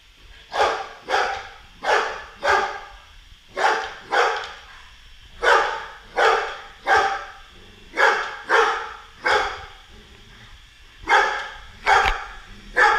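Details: Boisterous Golden Retriever barking at a Roomba robot vacuum it is battling; steady run of loud, harsh barks, roughly two per second, in short clusters with brief gaps, over a low mechanical hum.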